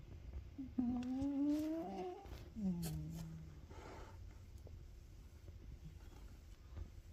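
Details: A sleeping Ragamuffin cat snoring indoors: two drawn-out, nasal, rising tonal breaths near the start, with harmonics, followed by soft low rumbling breathing that fades to quiet.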